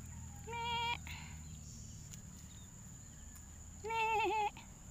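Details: Hungry young goat kid calling in a rural setting: two loud, wavering bleats with clear harmonic ladders, the second longer and quavering, separated by about three seconds, over low background rumble and a steady high electrical whine.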